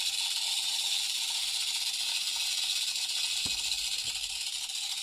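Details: Captive Central American rattlesnake (Crotalus basiliscus) rattling inside a terrarium: an unbroken, even, high-pitched sizzling buzz throughout, with a couple of faint soft knocks near the end.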